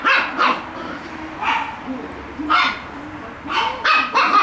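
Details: Shiba Inu puppies at play, chasing each other; bursts of high, sharp yips and barks about every second, with a voice murmuring underneath.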